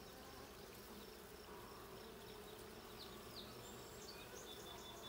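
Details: A blue hive of honey bees during a hive check, 20 June 2022. Dense, unbroken low droning fills the recording, with faint high bird chirps sounding faintly over the hum.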